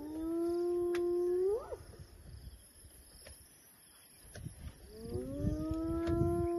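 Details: Hyenas calling where elephants are being viewed: a long level tonal call ending in a quick upward sweep, a quieter gap with faint clicks, then another sustained call rising gently at its start.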